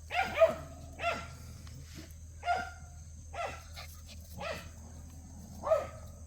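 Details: Playing puppies of Cheondori yap in quick, high-pitched bursts, about seven yelps spread over six seconds, the first two nearly overlapping, over a constant low droning background.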